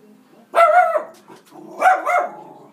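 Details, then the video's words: Madison, a female Schnauzer, barking at animals she sees on the TV screen indoors: two sharp, mid-pitched barks about a second and a half apart, with a faint murmur between. "Schnauzer Barks at Animals on TV"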